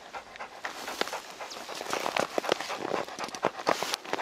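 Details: Labrador Retriever Deokbae on a mountain walk in Gangwon Province during unexpected heavy late-March snowfall, breathing in quick, breathy, uneven puffs over a soft hiss.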